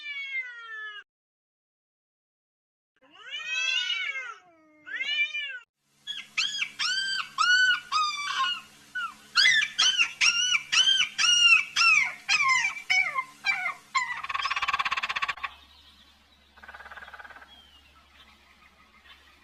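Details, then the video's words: Kitten calling for its mother amid farm animals: a few spaced meows, then a rapid run of short arched mews at roughly two per second, followed by a noisy burst and quieter rustling. "Sweet Kitten Calling For Mama"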